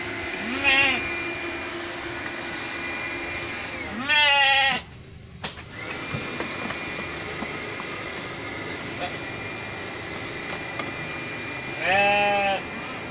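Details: Merino sheep on an Indonesian farm in Jogja bleating three times. The cries are tremulous and nasal, with a brief handling noise in between and a steady hum behind.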